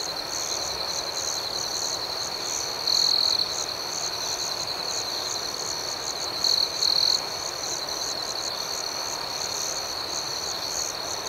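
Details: Night crickets producing a continuous shrill chirping band with rhythmic pulsing above it; a louder trill pokes through twice, once early and once as a double burst later on.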